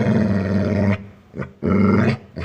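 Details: Pet dog giving two drawn-out, deep rumbling growls, each about a second long, separated by a short pause with a brief faint sound between them.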